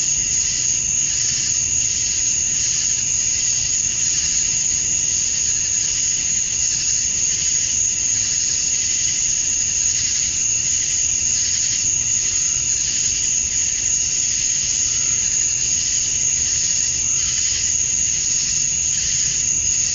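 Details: At dusk on a summer night in Georgia, USA, male cicadas chirp to attract females, producing a steady wall of high buzzing with a sharp continuous whistle-like tone and faint rhythmic pulsing.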